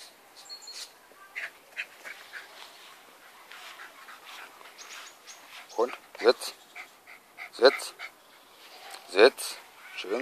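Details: Conny, a pet West Highland White Terrier, at play with a favourite torn toy: quiet at first under German speech, then short sharp yelping barks with falling pitch burst out four times in the second half.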